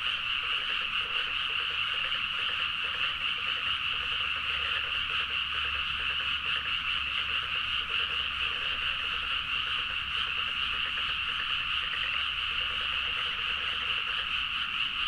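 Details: Frogs in full chorus in rice paddies at night, Nagaoka, Niigata prefecture, Japan; a continuous layered croaking drone with rapid irregular pulses, roughly two per second, and a faint low hum.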